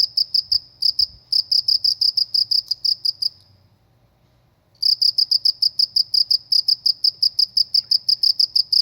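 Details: Cricket in a rural village setting, shrill pulsed chirps about three per second, stopping for over a second midway before resuming at the same rhythm; quiet low hum in background.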